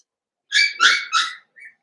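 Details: Cavalier King Charles Spaniel puppies, six from Daisy joined with two of Robin's, playing together: three loud, high, whining yelps in quick succession, then a fainter squeak.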